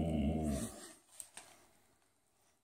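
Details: A Boxador at the dinner table, urged to say "mama", utters a short, deep, throaty moan that fades within a second, followed by faint clicks and room quiet.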